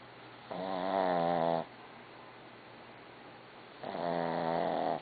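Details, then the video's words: Dog Barbie asleep and snoring, two long vibrating snores with wavering harmonic bands, separated by about two seconds of near silence. "Snoring Dog-BARBIE"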